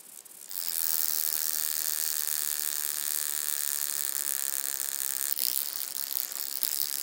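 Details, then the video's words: Wing-buzzing toothed grasshopper at Mala Ucka, Croatia, on 26 July 2023: after half a second of quiet, a loud, steady, high-pitched buzz begins and runs unbroken to the end, with a brief flicker near five seconds. "Stenobothrus rubicundulus -- Schnarrender Heidegrashüpfer -- Wing-buzzing Toothed Grasshopper"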